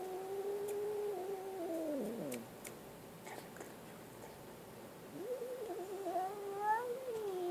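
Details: A scared kitten lets out a sustained low moaning yowl that slides downward into a grumble. After a quiet moment a second rising, wavering wail follows, with light clicks and handling noise in between.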